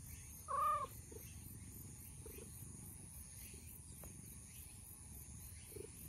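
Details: Milk-tea coloured stray cat, roused from its nap and approaching to be stroked while chatting; one loud, short, clear meow near the start, followed by quiet outdoor background noise.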